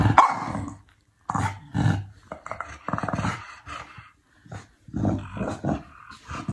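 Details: Chow Chow dog in choppy bursts of gruff growling and muffled barks, separated by short pauses, the loudest bursts at the start and again toward the end.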